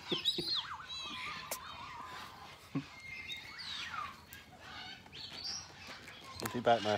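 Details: A zoo troop of meerkats gives a busy run of high, wavering chirps and peeps while a person mingles with them, speaking at the end.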